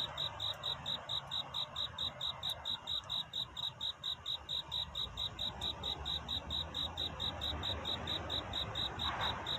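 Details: A cricket seeking a mate at night, dawn approaching: continuous evenly spaced shrill chirps, about four per second, steady in loudness, with a mild low background murmur.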